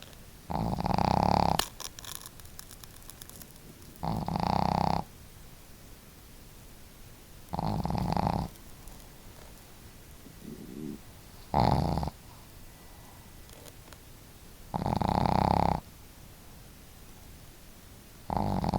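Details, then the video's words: Pet dogs Marimo, a female with a loud snore, and Daigoro, with a gentle one, snoring at home; regular raspy snore bursts roughly every three and a half seconds, one brief softer snort between. "可愛いイビキ snore"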